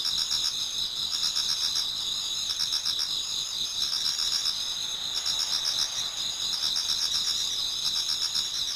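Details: Insects singing together in a Japanese garden on an autumn night nearing dawn; high sustained trills with periodic bursts of pulsed chirping, several overlapping rhythms, otherwise quiet.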